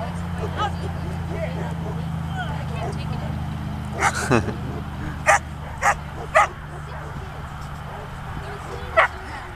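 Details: Poodle named Slash, in his second time on a protection training field, gives a few short, punchy barks spaced about half a second to three seconds apart over a steady low hum, with some talking.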